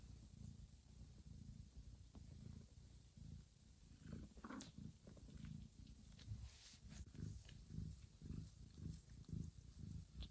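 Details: Johanna, a mother cat, grooms her sleeping kittens in a calm, warm room and gently guides them toward nursing. A deep throbbing purr rises and falls in rhythm, with brief clicking and rustling sounds midway.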